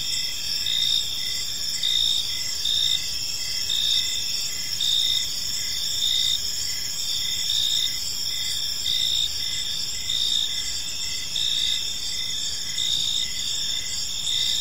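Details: Crickets chirping on an evening in a park: several overlapping high, steady trills in constant bands, with one brighter pulsed chirp repeating roughly once a second, over a soft low rumble of background noise.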